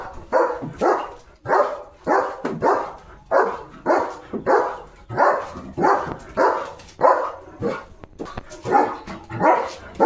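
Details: Leo, a German Shepherd guarding a village house, barks again and again to chase off another dog; about fifteen strong barks in a steady rhythm, near two per second, over quiet background.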